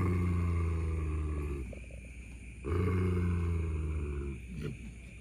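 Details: Two German Shepherd dogs fight over a buffalo horn found on an evening walk, one defending it while the other waits to snatch it. Two deep, rumbling snarls, each about a second and a half long, separated by a short pause.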